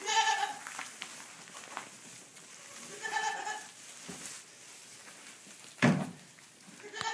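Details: Young fainting goat kids (Capra hircus) in a barn give short, high, wavering bleats, with a person speaking briefly nearby.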